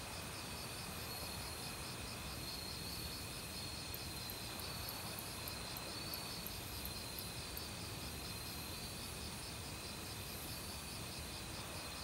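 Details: Autumn crickets in a forest, singing with many other insects. A steady pulsed high chirping runs throughout, with faint sharp ticks above it, all set against a constant broad rush of mountain stream water.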